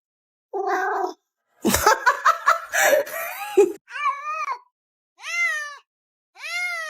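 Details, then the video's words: Pet cat at home, said to be arguing and talking back to its owner: three drawn-out meows, each arching up then down, come about a second apart after a burst of human laughter and chatter. "My Cat Started Arguing With Me"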